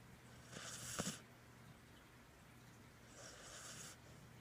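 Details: Border Collie named Lucas snoring while asleep: two soft, breathy hissing breaths about three seconds apart over a quiet low room hum.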